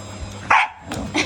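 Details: Dog barking at home during household vacuuming, part of a Shiba Inu versus Labrador versus vacuum cleaner scuffle: one sharp, loud bark burst midway, followed by fainter yips over a steady background hum.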